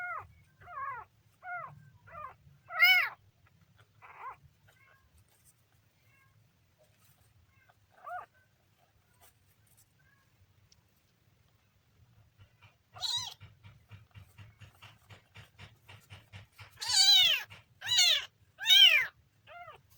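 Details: Kitten giving short high meows, a quick run of five or six in the first four seconds, a lone cry near eight seconds, then a soft low rapid rumble like purring under louder, longer meows toward the end.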